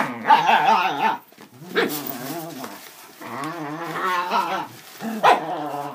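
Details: Dachshunds, part of a group of five including two puppies, playing with a cardboard box, paper stuffing and a cat tunnel; rumbling, wavering growls in long drawn-out bursts, with a short sharp yelp between them.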